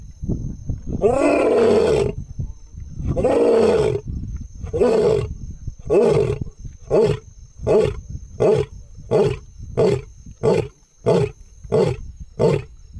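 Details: An Asiatic lion of Gir roars: two long moans, then a run of shorter grunts that come faster and fade.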